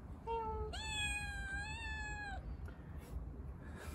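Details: Stray kitten given water, giving a brief high mew followed by a long, sustained, slightly wavering meow lasting well over a second, then quiet with a low background hum.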